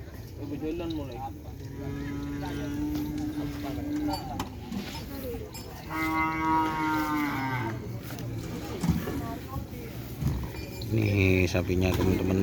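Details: A young racing bull on its first day on the track, in training with other teams, gives several low, drawn-out moos, one long and tonal, others brighter and harmonic, amid crowd chatter, music and rumbling noise.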